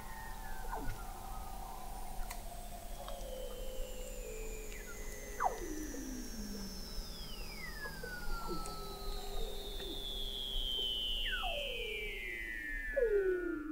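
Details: Weddell seals under thick sea ice in McMurdo Sound, Antarctica, recorded in November 2017 by the McMurdo Oceanographic Observatory 21 m below the ice. Long eerie whistles glide steadily downward, overlapping with shorter steep descending sweeps and low pulses.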